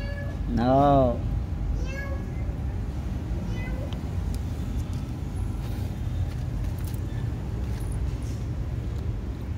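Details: A kitten gives one loud, drawn-out meow that rises and then falls, followed by a shorter, fainter meow about a second later, over a steady low rumble like traffic.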